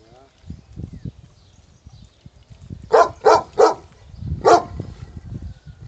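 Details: Wild dog in Pidima, Messinia, Greece, giving a short run of three quick barks followed by a single bark, with soft low rumbling and faint voices in between.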